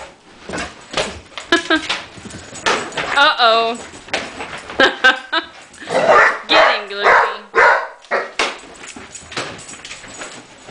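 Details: Female Basset Hound talking while chasing another dog: wavering, harmonic yowl-like moans rising and falling near three and seven seconds, mixed with short barks, scuffling and a person speaking nearby.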